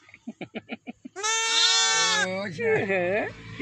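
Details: Day-old lambs in a village: a rapid series of soft clicks, then a long, loud, even bleat lasting about a second, followed by quieter wavering, rising-and-falling cries over a low hum.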